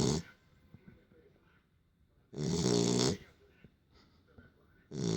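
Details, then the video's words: Beagle asleep after play, snoring in loud harsh inhalations, one at the start, a long one around two and a half seconds in and another at the end, separated by quiet breathing, with soft speech nearby. "Бигль храпит!"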